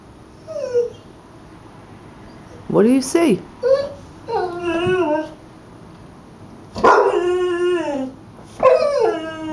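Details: A female dog indoors cries and howls at her own reflection in the front window of a house: drawn-out wavering whines and short howls in several bursts, rising then falling, with a woman's voice talking between them.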